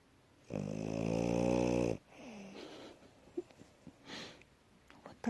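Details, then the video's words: Sleeping female French Bulldog, tired out after running around, snoring indoors: one long, loud, buzzy low snore lasting about a second and a half, followed by softer snuffling breaths and small noises. "Французский бульдог Ася здоровый сон и храп"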